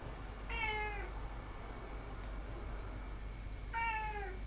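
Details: Indoor house cat meowing twice about three seconds apart, each a short harmonic cry of about half a second that falls slightly in pitch, with a steady low hum between.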